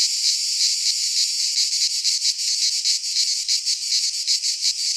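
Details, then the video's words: Cicadas in song within a Greek pine forest in midsummer, their high sizzling buzz swelling into clearer rhythmic pulses after the first second and holding steady. "Cicadas singing in midsummer - Nature sounds from the Greek fauna - Sounds of cicadas"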